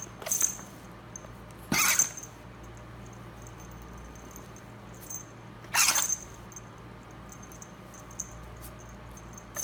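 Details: Female pet ferret playing and snorkeling through dirt while digging, sneezing sharply: a small burst, then two loud hissing sneezes about four seconds apart, with soft scuffling of digging between them.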